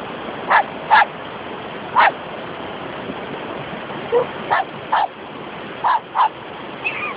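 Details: Poodles playing at the beach: sharp barks in loose clusters, about eight over seven seconds, with a faint yip at the end, over a steady surf-like hiss.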